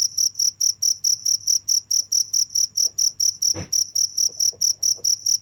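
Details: Nonstop cricket song, pulsed chirps repeated a little over twice per second, each a short bright burst high in pitch, with a brief low thump partway through and a faint steady hum.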